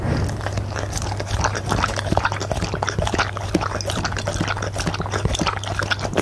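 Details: Punte the goldendoodle eats steak and egg for dinner, captured on a Blue Yeti microphone: continuous wet chewing and smacking, dense rapid crunchy clicks and licks, over a steady low hum.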